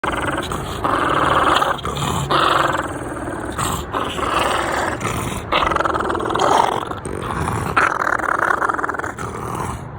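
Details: A French Bulldog guarding his tennis ball growls in long, rough, rumbling bursts with brief pauses between them.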